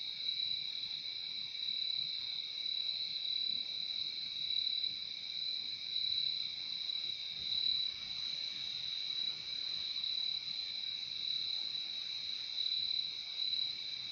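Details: Relaxing sound of crickets: an even, high-pitched ringing trill sustained without pause, a second softer tone just below it, nothing else standing out against the hush.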